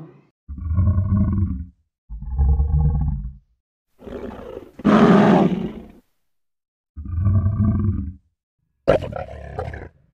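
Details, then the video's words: Lion repeating deep, drawn-out moaning groans, each about a second long, interrupted by a loud, rough, raspy roar in the middle and a sharp harsh snarl at the end, with quiet gaps between calls. "FUNNY LION SOUNDS"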